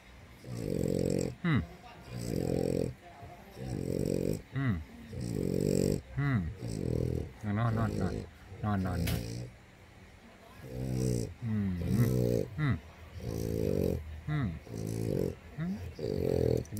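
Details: A French Bulldog snores while asleep in rough, rasping bursts about every second and a half, with a woman talking over it.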